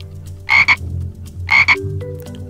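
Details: Frog croaking, played for toddlers after a green frog picture-book page: two short raspy double croaks about a second apart, with faint background music.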